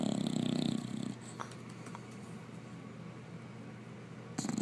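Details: English Bulldog Oscar deep asleep, one rasping snore fading out, then a quiet stretch of soft breathing before the next snore begins at the very end.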